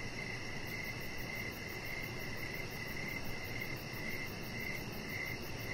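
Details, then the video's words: Outdoor evening ambience of crickets, their short chirps pulsing steadily and slightly unevenly against a continuous high-pitched insect buzz and soft low rumble. "with Cricket Sounds"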